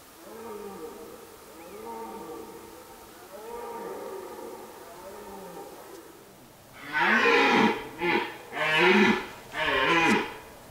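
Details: Red deer stag (Cervus elaphus) in an autumn forest during the rutting season: soft, moaning groans repeated about every two seconds, then four loud, harsh, bellowing roars in quick succession.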